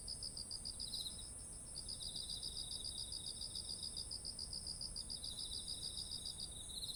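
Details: Among ripe rice fields in autumn, insects give fast, evenly spaced chirping pulses in long runs, with a second lower trilling caller alternating and a constant shrill background hum.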